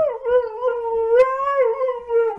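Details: Dog heard as 15-week-old puppy Harley meets Lasky, a large Siberian Husky, the two later playing together; one long, steady, harmonic-rich whining howl that wavers slightly in pitch and holds for over two seconds.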